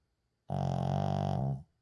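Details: One drawn-out, buzzing snore just over a second long from a sleeping Shih Tzu named Uijung, recorded indoors without editing, starting abruptly and fading at the end.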